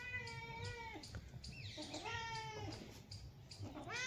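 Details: Domestic cat sunbathing and relaxing in the sun, giving a run of drawn-out harmonic meows, the first steady and falling at its end, then several shorter rising and bending mews, with soft background noise.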